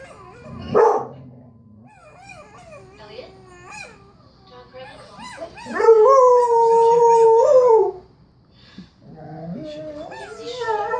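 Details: Dog howling along to a howl recording; a brief sharp yelp, a run of softer wavering howls from the playback, then a loud steady howl held for two seconds, followed by a rising howl at the end.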